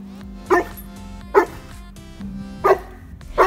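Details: Domestic dog that barks too much, heard as four short, sharp barks spaced about a second apart over steady background music.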